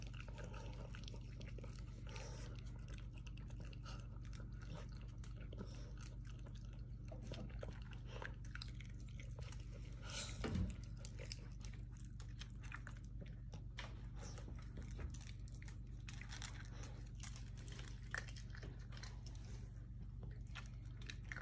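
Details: Two dogs, Toby and Tucker, lapping milk from a small bowl indoors, a steady stream of wet clicks and crunchy smacks with a louder splash near the middle, over a low room hum.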